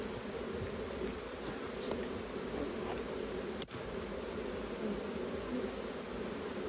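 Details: Honey bees at an open hive during a raw honey harvest by beginner beekeepers: a steady, dense droning hum fills the recording throughout, with faint clicks and a brief tap midway.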